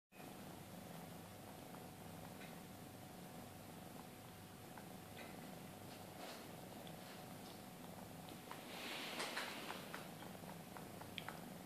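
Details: Maine Coon cats at a breeding cattery, a mother with two-month-old kittens; a steady low rumbling purr runs throughout, with faint scattered clicks and a brief soft hiss near the end.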